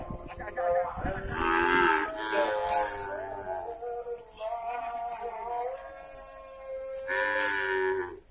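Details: Cattle for the prison industry at Lapas Kelas IIB Terbuka Nusakambangan, Indonesia, lowing repeatedly while being moved from Batu; overlapping bellowing moos, some sliding in pitch, nearly continuous, with occasional knocks and voices.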